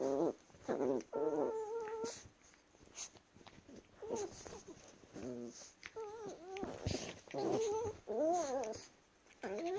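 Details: Play-wrestling Chihuahuas give a run of wavering, warbling whines and grumbles, rising and falling in pitch, in uneven bursts roughly every second, with scuffling and rustling between them indoors.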